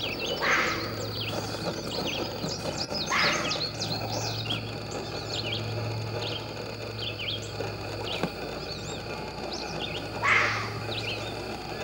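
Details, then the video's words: Fox barking: three short, hoarse, harsh barks spaced irregularly, the last after a long pause, over continuous twittering birdsong and a steady low hum. "The barking fox"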